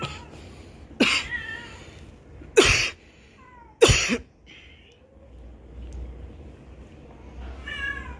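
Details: Small meows from a kitten receiving food: soft descending cries between three loud knocking thuds, then a brief rising squeak and a final harmonic meow at the end.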